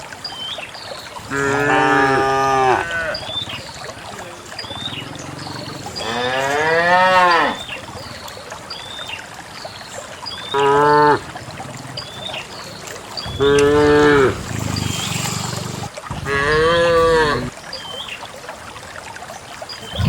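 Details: A herd of dozens of cows walks en masse to a green valley one quiet morning to find fresh grass; several long, harmonic moos, some wavering and bending in pitch, follow one another with short gaps, while small birds chirp faintly behind.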